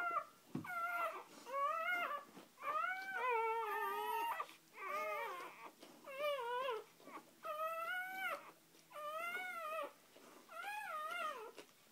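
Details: Indoor recording of a mother dog with her first three puppies, just born. Wavering, high-pitched whines and squeals rise and fall in pitch, each lasting under a second, coming steadily one after another with brief pauses.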